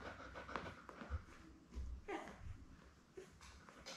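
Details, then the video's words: Belle, a Labrador Retriever mother, with her seven newborn puppies born May 24, 2021, indoors on a puppy cam; low rhythmic panting dominates, with brief small squeaks and a faint murmur of speech. "Lab Puppies LIVE STREAM Puppy Cam"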